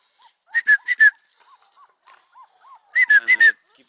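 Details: Four-week-old Beauceron puppies in a kennel give repeated high whining yelps in short bursts of three or four, separated by softer faint whimpers, while a man speaks Hungarian nearby.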